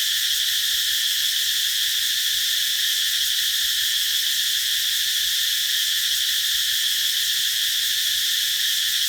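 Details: Cicadas sing under a tree in summer with a steady, shrill, high-pitched hissing drone that holds at an even level, with only slight pulsing in its texture.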